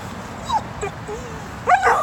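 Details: While stalking a squirrel clinging still to a tree, the female dog Bubbles lets out a thin rising whine, then a louder wavering whimper at the end.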